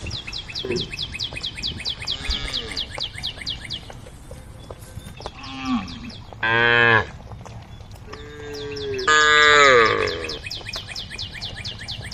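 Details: A group of tame cows on a road calling the herd: short and longer moos, one sharp and bright, others lower, while steady trains of high bird chirps run throughout.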